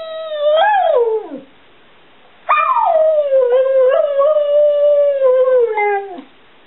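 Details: After being asked about loving Daddy, the Border Collie mix Stewart Little, age 7, replies with a short falling howl, then a long, steady, slightly wavering howl that drops in pitch at the end.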